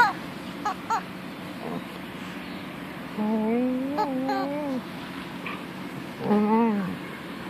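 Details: Softly, the female dog Punky moans to her toy chicken: faint yips at first, then a drawn-out whine that climbs slowly and wavers for over a second, followed by a shorter bent cry near the end.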